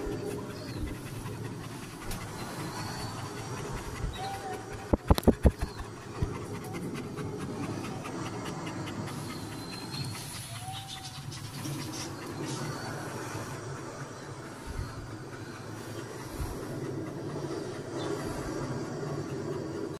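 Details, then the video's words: German Shepherd dog panting rapidly and steadily like a train, about three breaths per second, low rough breathing throughout with brief clicks and faint background noise. "Panting like a train"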